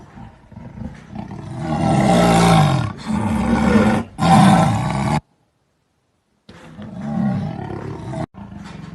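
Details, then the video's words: Jaguar giving long, harsh, throaty growls lasting one to two seconds each, with a rough, rumbling low tone and breathy rasps, broken by a sudden silence before quieter growling resumes. "Onça Pintada Sons de Rosnado e Rugido 🐆👑/Jaguar Sounds of Growl and Roar"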